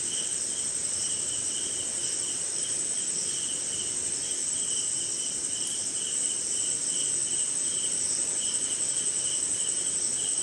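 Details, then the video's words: Crickets and other insects calling in a jungle swamp on a rainy night somewhere in India; a continuous shrill high trill runs throughout, layered with a lower pulsing chirp in short bursts over soft steady rain patter. "Sleeping Night in Jungle - Cricket & Swamp! Forest Sound"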